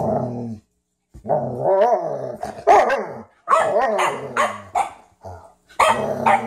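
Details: During a first play session between Ziah and Jacque, a Frenchton and a Rhodesian ridgeback, drawn-out harsh growling vocalizations rise and fall in pitch, broken by brief gaps and a few sharper yips.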